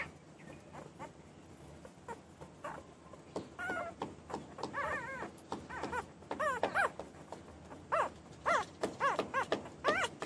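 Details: Soft wavering whines of newborn puppies rise from a hissing background, becoming more frequent and clearer in the second half.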